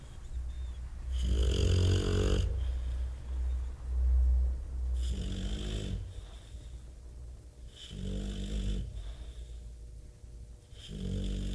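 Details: Bob the Bulldog sawing away in his sleep, with loud, low, rattling snores. A long drawn-out snore is followed by shorter ones roughly every three seconds, the last trailing off quieter.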